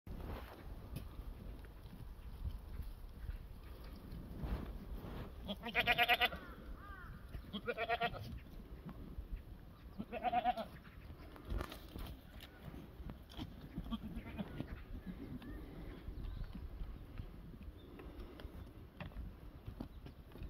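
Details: Black goats on a farm in Sangdong-myeon, Gimhae, South Gyeongsang, Korea, give several short harmonic bleats near six, eight and ten seconds, loudest around six seconds, over steady low rumbling background noise and faint clatter.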